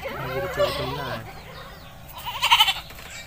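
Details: Village goat being bathed, giving a wavering, harmonic-rich bleat of about a second near the start, followed by quieter rustling and a short higher burst of sound toward the end.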